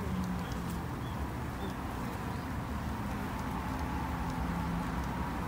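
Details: Japanese honey bees in a beginner's garden apiary, kept to help protect them; dense low humming continues throughout with a few soft high bird notes.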